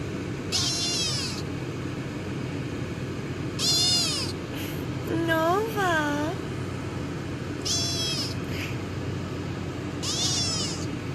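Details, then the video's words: Kitten giving sweet meows: thin, high, downward-curving mews repeated about every three seconds, plus one lower wavering rising-falling meow in the middle, over steady background hiss. "sweet meows"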